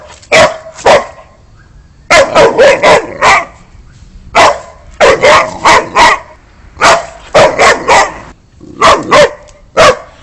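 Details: Boxer dog barks loudly in clusters of two to four rapid barks between short pauses, over a steady background hiss.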